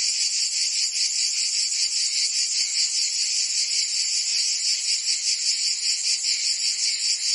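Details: In Provence, France, cicadas sing through the summer heat: a bright, high, grating buzz with quick rhythmic pulses, holding a constant loud level across the whole stretch.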